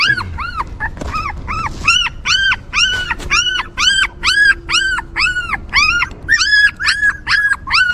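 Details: Newborn puppies cared for by a stray mother dog give loud, clear whining whimpers. Each cry is a short rising-then-falling arch, repeated about twice a second in a steady series with brief pauses, and a faint low hum runs underneath.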